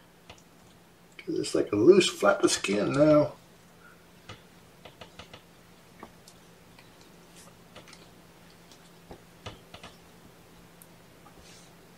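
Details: A short burst of indoor human speech gives way to scattered clinks of cutlery and dishes in a quiet small room.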